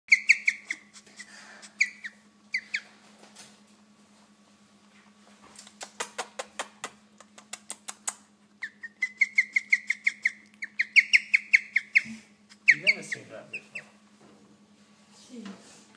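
A guinea pig gives bursts of high, whistled squeals that sound almost like a parrot.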